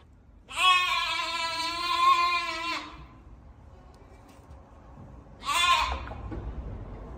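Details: Weaned lamb calling after separation from its mother: one long, steady, wavering bleat of over two seconds, then after a pause a shorter, fainter bleat, faint indoor background noise.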